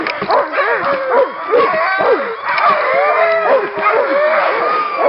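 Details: Group of Nordiclight Alaskan Malamutes at a little run, February 2012, giving a busy mix of short yips, barks and brief rising-and-falling howls from many dogs at once, with a few longer wavering notes midway.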